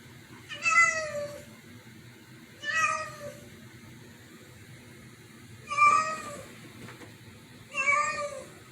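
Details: Indoor cats agitated by a strange meow. Four loud, clear meows, each a bright harmonic wail that bends slightly downward and lasts under a second, at irregular two- to three-second gaps. A steady low room hum sits underneath.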